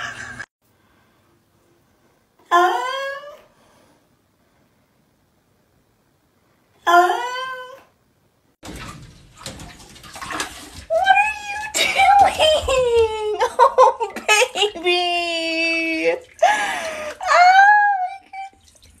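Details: Pet cat giving a string of meows: two short separate mews, then a rapid run of rising and falling meows of varied length, with rustling and handling noise between calls.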